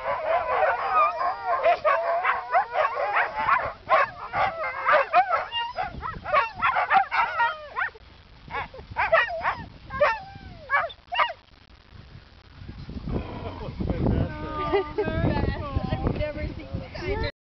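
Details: Siberian Huskies vocalising in a group: a rapid run of short yips and barking woofs for about twelve seconds, then wavering, bending howls over a lower rumbling background.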